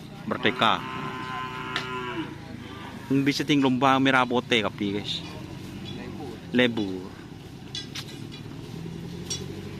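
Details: Karapan sapi racing bulls of team Angin Topan training at the Asemanis field in Pamekasan: a drawn-out, steady harmonic moo of about a second and a half that bends down at its end, then loud shouting voices and more brief calls.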